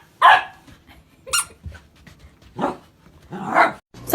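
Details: Golden Retriever puppy, a pet indoors, giving four sharp, loud barks spaced about a second apart, each a short broadband burst, with quiet room noise between them.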